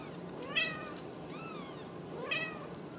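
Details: Ragdoll kittens born and raised in a central Kansas home, calling at supper: a clear harmonic meow, a fainter arched mew in between, then a second strong meow, all against low room noise.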